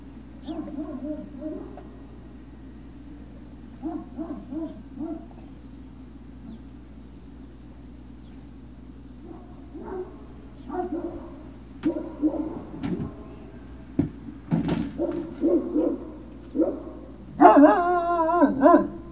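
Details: Great Dane puppies at Puppy Hill on 03-06-2019, late afternoon: scattered soft whines and whimpers build into several knocks and a loud, drawn-out squealing yelp near the end, over a low background hum.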